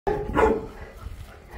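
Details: Boerboel, or South African Mastiff, living in Egypt, giving one deep, loud bark that rings briefly in a reverberant space before fading.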